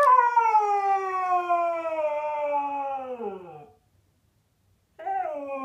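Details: Zeus the Siberian Husky, asked to say thank you for his new bed on a rainy day indoors, lets out a long falling whine-howl of nearly four seconds, then after a short silence starts another wavering howl.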